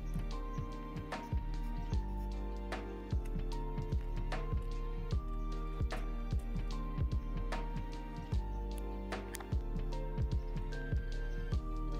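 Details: Gentle plucked instrumental music with steady sustained notes fills the recording, and no animal sounds are present.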